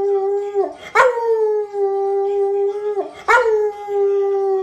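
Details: Domestic dog singing along with the Enchanted Tiki Room tune, giving sustained, even-pitched howls with two abrupt breaks between them, each howl sliding back into a long level note.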